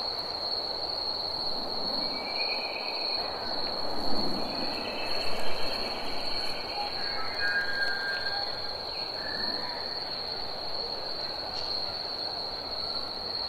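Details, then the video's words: Summer cicadas sustain one unbroken high-pitched whine throughout, with a low rumble and a few faint scattered sounds beneath it. "Cicadas Chirping & Singing"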